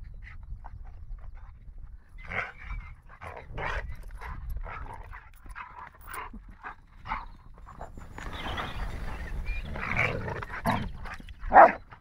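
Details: Nine-month-old male Rottweiler gives short, scattered huffs and brief vocal bursts while playing with another dog in a park, outdoors with a low rumble of wind.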